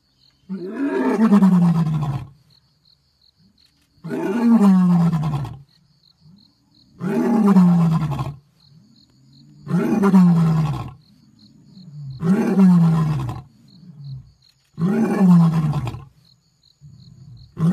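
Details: Asiatic lion recorded on a safari in Sasan Gir, Gir National Park: six heavy roaring grunts, each falling in pitch and lasting about two seconds, repeated roughly every two and a half seconds.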